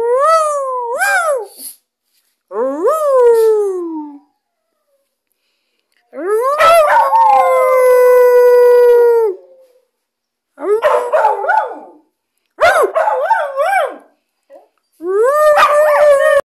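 A Groenendael Belgian Shepherd howls in long, wavering, rising-and-falling notes with short pauses between.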